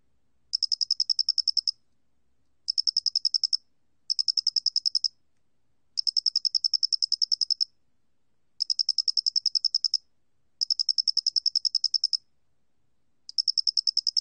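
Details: Korean Loxoblemmus doenitzi cricket, recorded in 2020 by the National Institute of Biological Resources, gives seven bouts of fast, ticking high-pitched pulses, each bout lasting around one second, with clean silence between them.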